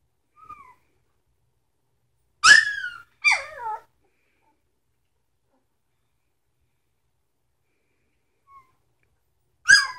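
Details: Three-week-old puppies from a Sitka and Izzi litter, indoors: a faint short whine, then two loud high yelping whines close together, then quiet until one more sharp yelp at the very end.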